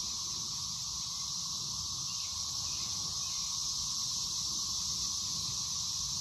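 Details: A dense chorus of 13-year periodical cicadas (Brood XIX) in Waxhaw, North Carolina, on 4 May 2024, makes a steady, high, hissing drone that never breaks.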